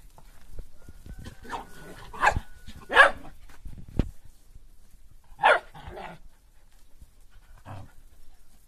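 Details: Five Corgis let out to run and exercise, giving several short, rough barks spaced irregularly over a few seconds, with a faint steady whistling tone early on and quiet background rustling.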